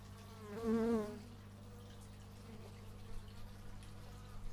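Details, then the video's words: Bee flying close past an x/y stereo microphone in a natural setting: one loud, wavering buzz lasting about half a second, then fading into a steady low background hum with faint, scattered distant sounds. "Bee movie but its just bees"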